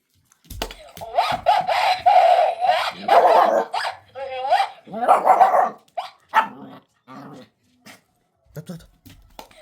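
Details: Black-and-tan Shiba Inu puppy, five months old, turns brave and barks at a recorder; dense bursts of high yappy barks in quick succession, tapering into scattered single barks and soft huffs toward the end.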